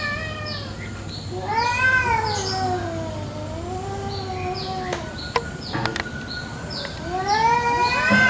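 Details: Territorial quarrel between Indonesian village cats in a morning garden: sustained, undulating low yowls drifting up and down, interrupted midway by sharp clicks and knocks, then a renewed rising howl.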